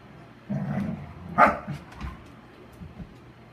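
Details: Airedale Terrier and Standard Poodle at play: a low, rough growling bark for about half a second, then one sharp, loud bark, followed by a few softer short huffs and a faint low background rumble.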